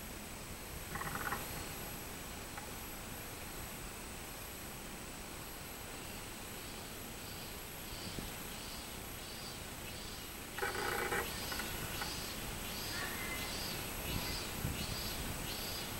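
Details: Robust cicada recorded on 24 July 2016, starting after a stretch of steady background hiss: a series of high, evenly spaced pulsing notes about twice a second, with brief mid-pitched bursts of another sound scattered through.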